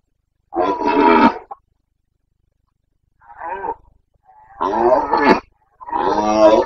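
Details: Loud rutting roars of a Carpathian red deer stag in Bucovina, Romania, late September 2022 breeding season: four harsh, drawn-out bellows, each about a second long, with a short gap after the first.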